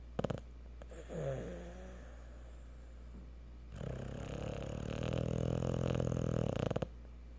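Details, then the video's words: Cocker Spaniel asleep after a tiring day at the park, giving a short nasal rumble, then a long, drawn-out, rattling snore. "Snoring Cocker spaniel!"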